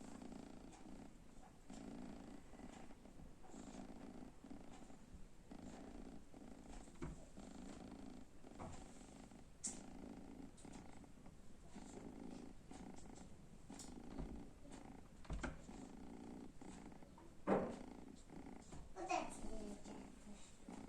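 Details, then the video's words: Sleeping kitten lying in front of the oven, snoring softly: continuous low rumbling purr-like breaths rising and falling roughly every second or two, with a few faint clicks and rustles toward the end. "Cute Kitten is sleeping in front of the oven with snoring"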